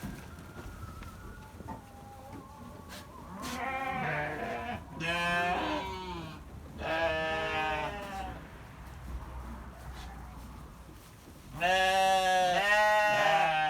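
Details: Farm sheep giving loud, quavering bleats, each a second or more long and rich in harmonics, in four bouts spaced a few seconds apart, the last the strongest, with a quiet background between calls.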